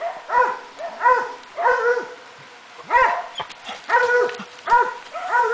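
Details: Swiss Hound at work on wild boar, giving loud, harmonic, ringing barks with a slight falling yelp, repeated in quick bursts roughly every half to one second, with brief pauses between runs.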